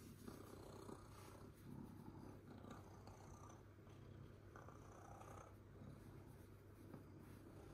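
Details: A domestic cat purring: a soft, steady low rumble that continues unbroken for the whole stretch, pulsing gently with each breath, with no other clear sounds.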